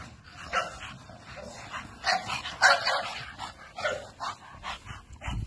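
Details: American Bully barking repeatedly, irregular mid-pitched barks of moderate loudness coming in quick clusters, with the strongest pair near the middle.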